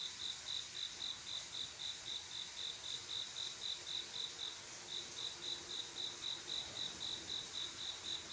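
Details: On a still summer night, a male cricket sings to attract a female, giving an even run of bright, high chirps about four per second, with a brief break near the middle, against a faint shrill background chorus.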